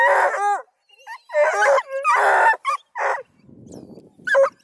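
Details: Purebred hound crew of Bluetick, Redbone and black and tan coonhounds near Kingston, Ontario: drawn-out, wavering howls and bays in separate bursts, with short gaps and some low rustling between them.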